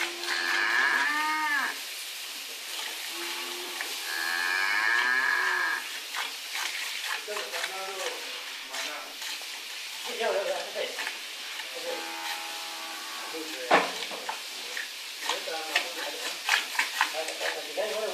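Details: Dairy cow being milked by a farmer, recorded on a Samsung Galaxy S3: two drawn-out, tonal moos in the first six seconds, then quieter rhythmic squirting and splashing of milk with scattered clicks and handling noise.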